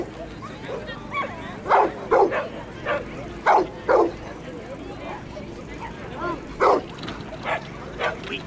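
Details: Excited barking from Jim, a Border Collie running Grade 3 agility at Lanark Racecourse on 19-4-09; loud single and paired barks roughly twice a second, with people talking throughout.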